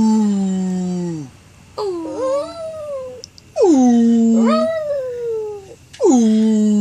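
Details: Dog singing in long howls, three bouts each starting high and sliding down to hold a low steady tone, with a second higher wavering voice gliding above it; short silent gaps between bouts.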